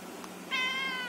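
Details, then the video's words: Cat talking: after half a second of quiet, one steady high meow begins and holds level, fading slightly toward the end. "Cat talking"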